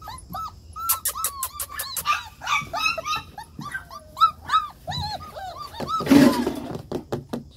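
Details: German Shepherd puppies whimpering in a rapid series of short, arched, high-pitched whines, some overlapping, with a few sharp clicks and a brief burst of rustling noise near the end.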